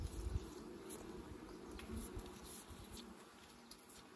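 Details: Bees buzzing during a honey harvest, a steady low hum with wingbeat drone and some handling knocks and rustles nearby.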